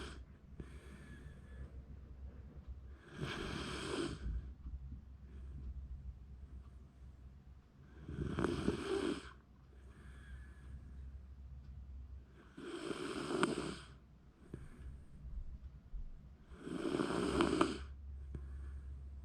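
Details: Sleeping round-bodied Shiba Inu living in a backyard, filmed January 2024, snoring: four loud, raspy, noisy breaths spaced about every four and a half seconds, with quieter rasping breathing and a low steady hum between them.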